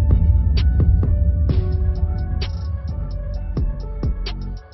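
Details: A deep, steady throbbing hum fills the background. Sharp knocks and clicks break through at irregular intervals, and no animal calls can be picked out.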